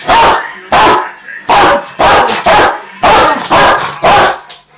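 A Rottweiler gives loud, harsh, deep barks in an irregular series, with brief gaps between them.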